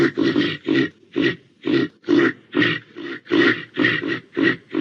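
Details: A reindeer gives steady rhythmic grunts, roughly two each second, each a short breathy, nasal pulse, unbroken through the whole stretch.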